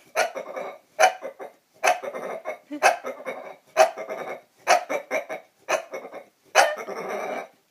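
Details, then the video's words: Bulldog producing dinosaur-like noises unprompted: harsh, gravelly roaring grunts in quick clusters, roughly one burst per second, some doubled, with snorty breathy edges in a small room. "Bulldog making dinosaur noises"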